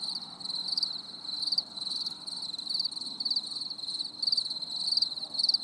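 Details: Crickets on a stormy summer evening chirping in short high bursts, about two per second, each a quick shrill pulse over a steady fainter trill and low background murmur.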